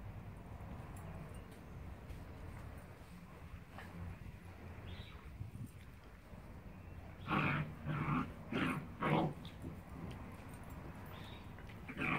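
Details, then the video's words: Rhodesian Ridgebacks, a 9-week-old puppy and a 9-month-old, in play fighting; low growling underneath, then a burst of four sharp yips or barks in quick succession, followed by quieter scuffling. "9 week Rhodesian Ridgeback play fighting with 9 Mo"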